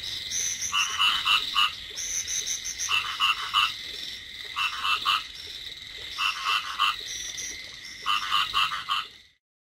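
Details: Field frogs croaking in a rice field during light rain: bursts of rapid pulsed croaks in overlapping chorus roughly every one and a half seconds, separated by a steady hiss of rainfall.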